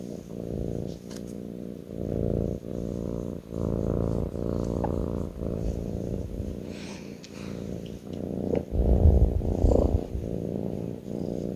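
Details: Close, loud purring from a kitten on its owner's lap, a rough low drone rising and falling with each breath, growing stronger near the end amid light rustling.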